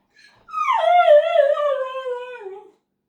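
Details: Pet dog left behind indoors while others go to the mailbox gives one drawn-out, whining howl, starting high, then sliding down and wavering gently for about two seconds before fading, in a small quiet room.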